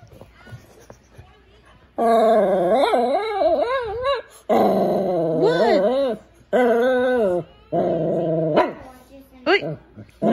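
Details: Pet Shih Tzu indoors, described as trying to talk to its owner, producing a run of long warbling harmonic moans that rise and fall in wavy pitch bends, broken by short pauses, ending with brief yips.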